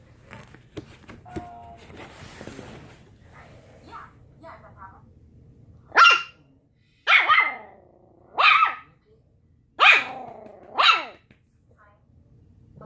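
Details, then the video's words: Arguing puppies: after soft human talk and rustling, five shrill, ringing barks burst out roughly once a second, each clear and separate, with brief silences between. "Puppies arguing"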